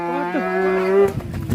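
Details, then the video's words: Enraged cow in Indonesia that ended up falling into a river gives a loud moo of about one second. Strong harmonic tone bends downward, then holds steady before breaking off into noisy rumble, with music following. "SAPI NGAMUK BIKIN GEGER SAMPE KECEBUR KE SUNGAI"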